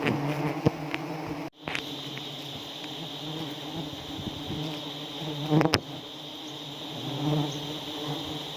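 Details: Swarming honey bees in South Aceh, Indonesia, stinging during a honey harvest at Pucok Krueng: a continuous low droning buzz fills the recording, with a few sharp knocks and faint background hiss.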